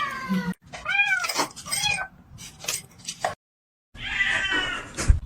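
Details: Domestic cat giving several arched, whining meows that rise then fall, separated by brief pauses and a short silent break, with light rustling and indoor noise behind.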